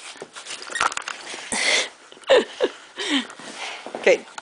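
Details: Duke the bulldog whimpers indoors while choosing his favourite toy: short high whines sliding downward, heard three times about a second apart, with rustling and soft handling noises between them.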